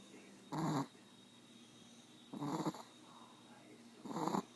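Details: Wutsi, a sleepy brindle Chihuahua, snores and wheezes: three rasping snorts about every one and a half to two seconds, each lasting a fraction of a second, over a low quiet background hum.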